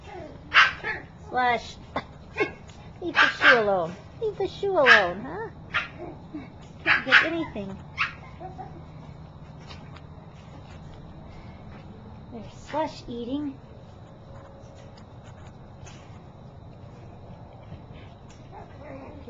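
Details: Seven-week-old puppies of a dog named Stinger playing in a dog run on a carport on a November evening around 5:30 pm; a burst of high, yappy barks and yips in quick succession, then sparser yips with a person talking.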